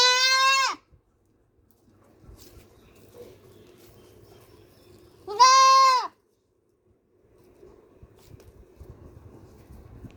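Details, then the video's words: Screaming black goat kid: two loud, nasal, harmonic bleats under a second each, one at the start and one midway, with a low murmuring hum and light shuffling between them. "Baby Goat Screaming Sound Effect|Baby Goat Bleating Sound Effect"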